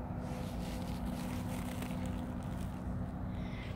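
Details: A steady low engine or wind rumble fills the whole stretch, dense in the bass with a constant drone, and no animal voice is heard.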